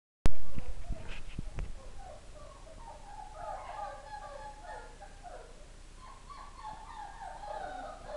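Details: Four-week-old Greyhound pups from a Collision x Daddy Car litter, whose mother died a few days earlier, though they are eating. A few sharp knocks open, then several overlapping, wavering whines rise and fall continuously from the third second onward.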